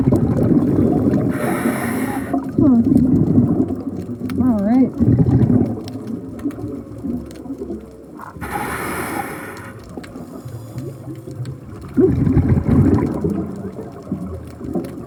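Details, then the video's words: Male humpback whales singing underwater on a midnight dive in breeding season, heard throughout the dive: a few wavering, harmonic moaning units rising and falling, broken by loud bursts of bubbling hiss and low water rumble. "you could hear the whales the whole time we were diving. What you're hearing are male humpback whales."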